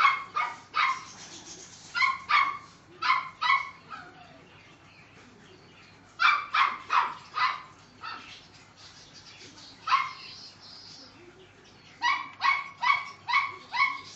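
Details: Neapolitan Mastiff male puppy, seven weeks old, yapping in short high-pitched barks, bursts of two to four yips separated by brief pauses, with a faint steady low hum underneath.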